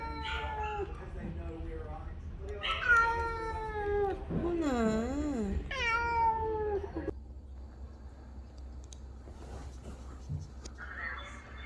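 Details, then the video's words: Ginger domestic cats in a New Zealand home reacting to a recording of a housemate's sad meows made during a vet trip: several long, wavering, drawn-out meows with rising and falling pitch, with soft human speech in the background. "Cats reaction to their own meow recordings"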